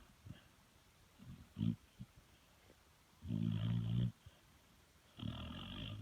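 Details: A sleeping dog snoring loudly, with rough, rumbling low inhalations lasting close to a second, separated by quieter pauses and small snuffles.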